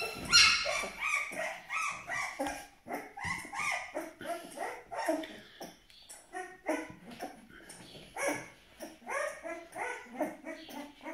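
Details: Aksaray Malaklı puppy aged twelve days, crying with a busy stream of thin, squeaky whines and yips, a strong shrill note at the start, then steady, uneven short cries throughout.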